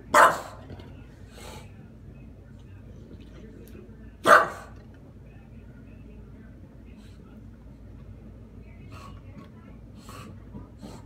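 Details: An English Bulldog gives two loud, sharp barks a few seconds apart at a vacuum cleaner, apparently protecting her owner from it, with a person speaking briefly.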